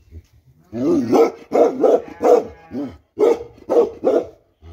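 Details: Bakarwal dog giving a run of deep, hoarse barks in two bursts, about seven barks over a few seconds, with short gaps between them.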